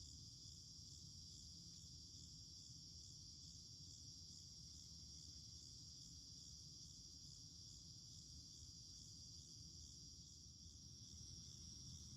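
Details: A steady, high-pitched cicada chorus in a garden on August 9 drones without pause over a low background rumble, calling throughout the day.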